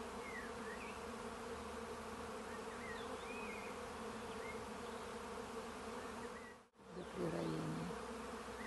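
A steady, low droning buzz of many bees, with a few faint bird chirps in the background.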